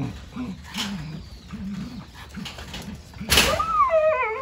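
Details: Jindo called Wanggeom, uninterested in a rattle, makes soft low wavering grumbles, then after a sharp clatter a high, quavering whine that slides downward in pitch.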